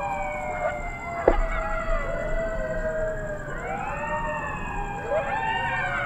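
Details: Coyote chorus of several overlapping howls, long wavering tones that slide up and down and cross one another like sirens, with a steady faint high hum running underneath throughout.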